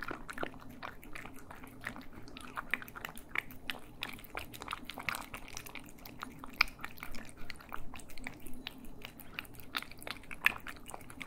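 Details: Stereo ASMR recording of cats eating: dense biting and crunching with sharper, louder bites around the middle and near the end, set against a low indoor background drone.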